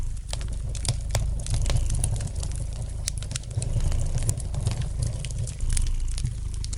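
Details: A domestic cat purrs in a steady, low, throbbing rumble while a fireplace fire crackles and pops.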